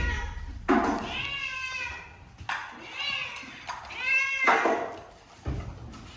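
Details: Shelter cat in Japan, housed in a converted closed-down school, gives three drawn-out meows, each rising then falling, about a second apart, with people talking indoors between them.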